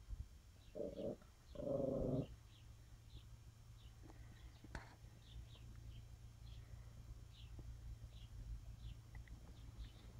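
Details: A bulldog, a Tosa and a chihuahua play together. Two short, rough growls sound close together in the opening two seconds. A steady low hum follows, with faint high chirps scattered through the rest.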